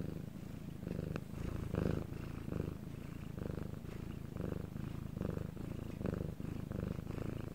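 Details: Cat's purr captured at night when quiet, Korea; even, low buzzing rumble pulsing in regular breathing cycles about every half second to second, steady and uninterrupted.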